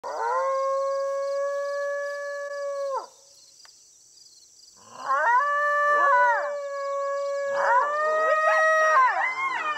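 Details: Eastern coyotes, unusually vocal, hold a long, level howl for about three seconds before falling silent. Several voices then join in, with sliding, wavering howls and short yipping breaks layered over one another.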